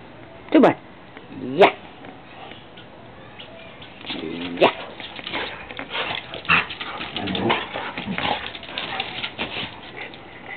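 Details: Two dogs, a Labrador and a Drentsche Patrijshond, playing together in an empty garden: sharp bark-like yelps and short rough growls, followed by a busy stretch of scuffling, panting and mixed noises.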